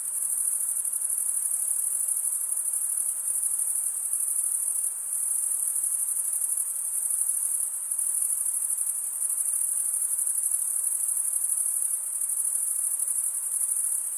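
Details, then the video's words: A summer forest at night alive with chirping crickets: a shrill, even, high-pitched trill with slight swells in intensity, continuous from start to finish, no birds or people. "Pure cricket music for 20 min"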